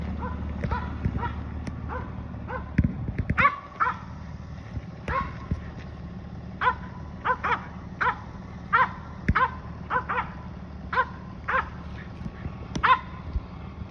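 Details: Finnish Spitz hunting dog treeing squirrels during road hunting, giving quick repeated barks in bursts, roughly one or two per second, over a steady low engine-like hum.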